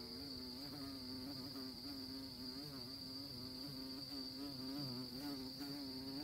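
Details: Droning of honey bees at orchid flowers, a low harmonic hum that wobbles gently in pitch, with a steady high thin tone behind it.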